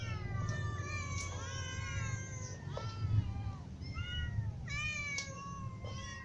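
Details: Group of hungry cats, little ones and adults including a ginger cat, meowing: many overlapping wavering meows of differing pitch, falling and rising, with a constant low hum in the background.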